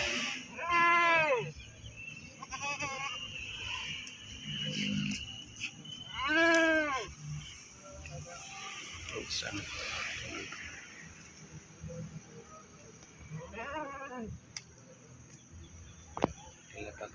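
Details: At the Pakis animal market in Malang, a goat taken there for sale bleats loudly in quavering, harmonic cries, three spaced bursts roughly five to seven seconds apart, with market chatter and background murmur between.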